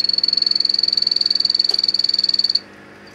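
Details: A male Anthony's poison arrow frog (Epipedobates anthonyi) sings to attract females, a fast, high, pure-toned trill of evenly spaced pulses.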